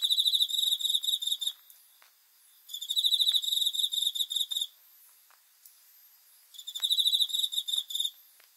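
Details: Cricket heard at night giving long trills of fast high-pitched pulses, each burst about two seconds long and separated by pauses of about two seconds, with faint clicks in the gaps.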